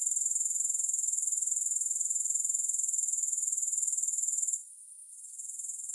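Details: Grasshoppers trilling with no music: a piercing, rapidly pulsed high buzz, quite regular, running steadily for over four seconds before fading to a quieter, uneven stretch at the close.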